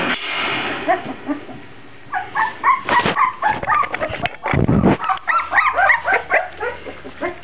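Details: A litter of Grand Basset Griffon Vendéen pups at the Viersenhoeve kennel, yelping and whining in overlapping, arched high cries, with thumps and scuffling between bursts.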